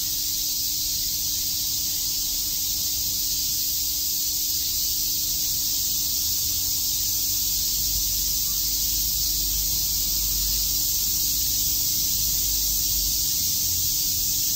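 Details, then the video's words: Many cicadas chirping on a summer day in Shakujii Park, Tokyo: an unbroken, dense, high-pitched buzzing drone that holds steady at an even level for the whole stretch, with a faint low hum underneath. "Cicada chirps"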